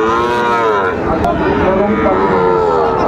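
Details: Cattle lowing at a cattle market in Comilla, Bangladesh, on 5 September 2024, where Sahiwal calves and farm bulls are on sale. Several overlapping drawn-out moos with rich, wavering harmonics rise and fall, under steady crowd murmur.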